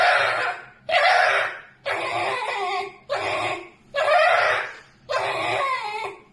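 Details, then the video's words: A pet red fox letting out strange screams as it sleeps: six loud, hoarse, drawn-out shrieks, roughly one a second, each fading before the next, in a small room. "a red fox screams strange sounds while sleeping"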